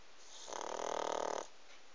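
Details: Close-up of one pug snore: a single rattling, fluttering rasp lasting about a second, with rapid vibrating pulses throughout, surrounded by faint hiss.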